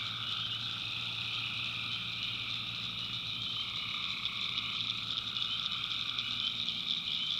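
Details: Night chorus of tree frogs in a swamp in the backwoods of North Carolina, a continuous layered drone of frog notes beneath a bright, unbroken high buzz of crickets, with no pauses.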